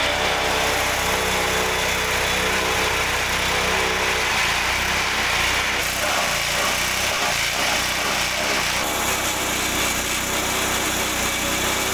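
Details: A steady engine drone with a high whine runs throughout, like a small motor or mower idling, with no animal voice heard.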